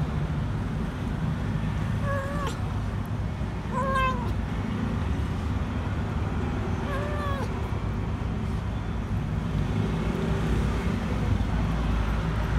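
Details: An abandoned, dirty kitten crouched below a food truck at a grocery store calls out for food. Three plaintive meows arrive every two to three seconds, set against heavy low vehicle rumble.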